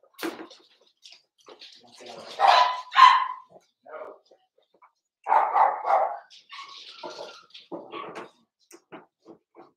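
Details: Four-week-old Cavalier King Charles Spaniel puppies from Daisy's litter in their pen, giving scattered short yips and whines, with two louder bursts of barking, among soft human voices indoors.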